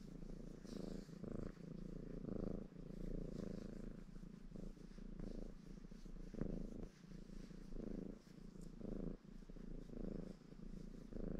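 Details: {'caption': 'Baron, a ginger Maine Coon tom in a contented mood, purring while washing himself; a steady low rumble pulsing in breaths roughly every second, with faint licking clicks above.'}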